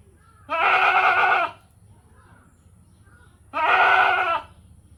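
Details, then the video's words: Two nasal, quavering goat bleats of about one second each, separated by a three-second pause, with a steady faint high tone and low rumble behind. "goat sounds for babies"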